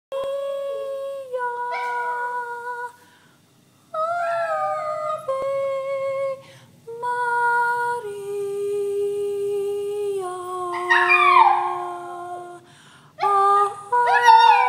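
A toy poodle sings in long, tuneful howls that hold steady notes, then slide up and down.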